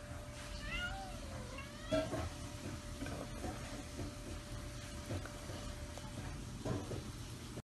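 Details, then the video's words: A kitten asking for belly rubs gives a short rising-falling meow near the start, followed by soft rustling and a few faint clicks; a steady electrical hum runs underneath. "Kitten asks for belly rubs"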